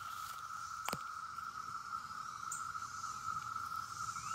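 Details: Brood X periodical cicadas in Bloomington, Indiana drone in a dense chorus, one steady mid-pitched hum, with a single sharp tap near the start.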